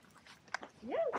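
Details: Jack Russell Terrier Pixy on a walk, recorded by a thumb-sized Insta360 GO 2 camera mounted on the dog's back in mono: a short, tonal whine rising then falling, following soft clicks and faint voices.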